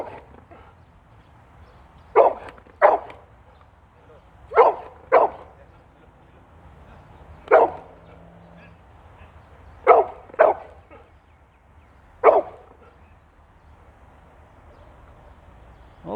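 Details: Dog challenging another dog near the house, giving about eight loud, sharp barks, often in quick pairs, separated by quiet gaps of one to two seconds, with low background hum and a faint human voice.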